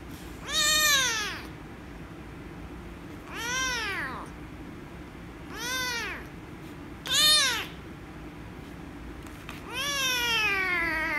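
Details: Loud, angry meows from a rescue kitten reacting to being petted, five arched, harmonic-rich cries spaced about every two to three seconds, the last one longer and falling, with a constant low background hum.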